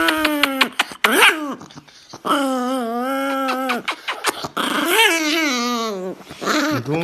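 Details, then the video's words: Angry dog voicing its displeasure with drawn-out, wavering tonal grumbles and whines that rise and fall in pitch, broken by short sharp yelps, all in a small indoor space. "Angry Dog"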